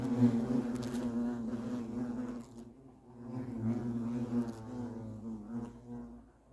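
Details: European hornets at the nest, making a steady low, humming buzz that swells and fades in strength without a break for several seconds.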